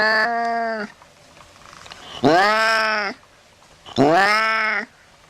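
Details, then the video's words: Low-pitched cat meows played to chase rats away: three drawn-out nasal meows about 1.8 seconds apart, each swelling at the onset and held evenly, over a faint background hum. "Tiếng mèo kêu đuổi chuột hiệu quả, chuột sợ bỏ chạy té khói Sound of Cats to scare the Rats"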